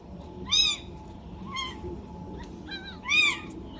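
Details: Two-day-old domestic kitten mewing: three thin, high, downward-arching cries about a second apart, with steady low background hum.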